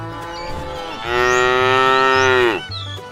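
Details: Tame cattle driven in a herd toward fresh pasture; one cow lets out a sustained, steady, harmonic-rich moo of about one and a half seconds that drops at the end. Quiet background music continues underneath.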